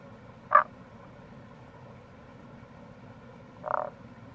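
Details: Tago's brown frog calling in April near the Kamo River gorge, Itoshima, Fukuoka, Japan: two short, low croaks about three seconds apart over a steady background murmur of flowing water.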